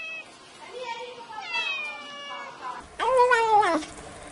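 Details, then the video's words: Black kitten making a run of wavering meows that ends in one loud, strained meow rising and falling over nearly a second. Some voice-like sounds are mixed in. "Tiếng Mèo Kêu Meo Meo"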